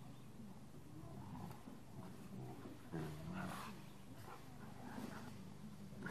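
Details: Play fight between two Rottweilers, an adult in a truck and a younger dog, with oldies playing. Continuous low, gravelly growling with a louder snarling surge near the middle and rough throaty rumbles throughout over a constant low hum.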